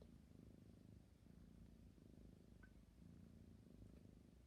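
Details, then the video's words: Low, continuous purring from a sleepy kitten, pulsing gently with each in and out breath, broken only by a tiny faint squeak halfway through. "My cute sleepy kitten purring and yawning"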